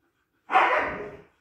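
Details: Siberian Husky puppy, one of a litter, giving a single harsh, short bark lasting under a second, loud and broadband with a quick onset and a fading tail; no other sounds around it.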